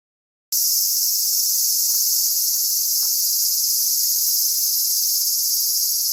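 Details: Cicadas singing in summer in suburban Tokyo, Japan, on 5 August 2011, under growing clouds: a loud, continuous high-pitched buzzing drone starting abruptly after a brief silence, with faint low clicks beneath.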